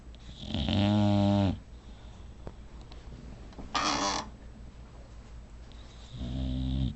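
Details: Sleeping female bulldog snoring loudly indoors: two long, deep, rasping snores with strong harmonic buzz, one near the start and one at the end, plus a brief noisy snort between them, over a quiet room hum.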